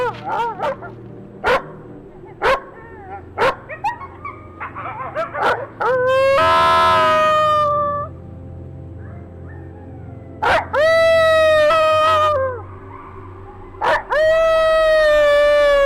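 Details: Coyotes played for comparison with recordings from the Umatilla reservation: sharp clicking yips and short barks at first, then long wavering howls with rich overtones, rising and sliding, repeated in three drawn-out bursts.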